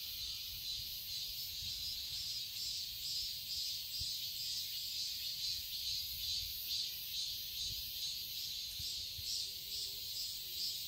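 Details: Seoul garden cicadas in Korean summer: a piercing, buzzy drone pulsing rhythmically about twice each second, steady and dense throughout, with faint low rumble below.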